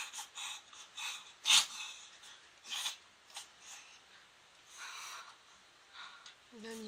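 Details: Pomeranian named Moko in her first reverse sneeze episode: a string of harsh, breathy snorting bursts at uneven intervals, one sharp loud burst early on, then softer rasping snorts, with a brief tonal sound at the end.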